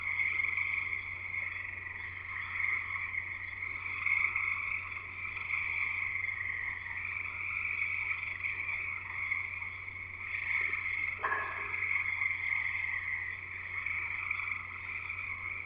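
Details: Frogs singing in a loud evening chorus at a house in Escanaba, Michigan, in the Upper Peninsula; dense continuous trilling sustained throughout, with a steady low hum underneath.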